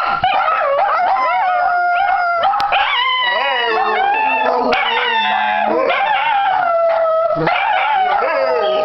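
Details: Several pet Dachshunds, Missy among them, howl together on New Year's Day 2015 at home before a walk. Long, wavering, overlapping tones slide up and down in a steady chorus with no pauses.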